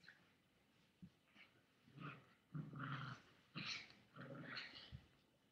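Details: Indoor webcam recording of a Chihuahua growling at a boy with a toy, August 13, 2011, mid-afternoon; quiet opening, then a series of harsh, rumbling growls of about half a second to a second, swelling and fading.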